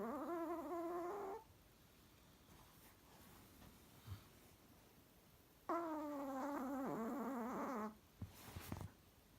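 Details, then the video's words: Whistly, buzzing snores from a Chihuahua: a steady tone about a second long, a pause with faint rustling, then a longer two-second snore that wobbles and drops in pitch, ending with a few soft knocks. "Чихуахуа храпит нереально"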